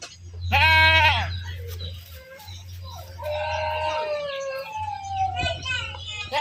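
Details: Goats being herded, farm livestock; a loud harmonic bleat near the start, then quieter wavering animal calls over a steady low hum and background noise.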